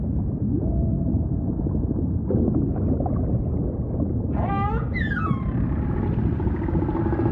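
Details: Humpback whale song amid constant ocean rumble: two bright, richly harmonic descending cries arrive in quick succession after four seconds, followed by a thin sustained tone.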